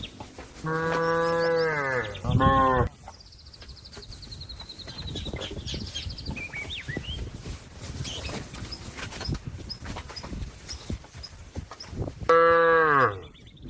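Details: Cow calling out to a companion that is eating grass in a field: a long, deep, drawn-out moo with a brief louder break, then about nine seconds of soft bird chirps and whistles before another full moo.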